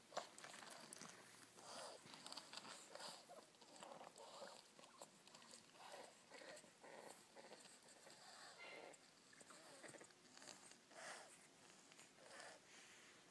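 French Bulldog puppies make quick breathy snorts and snuffles, repeated in short bursts about every second.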